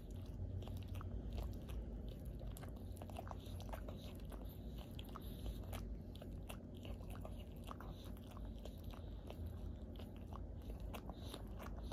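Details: Steady crunching and chewing in a small indoor room over a low rumble, with no animal calls.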